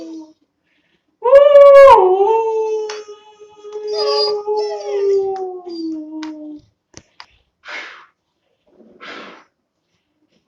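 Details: Long-coat German Shepherd puppy, two months old, howling: a sharp rising yelp opens into a long wailing howl that slides gradually downward, followed by short faint noises and quiet.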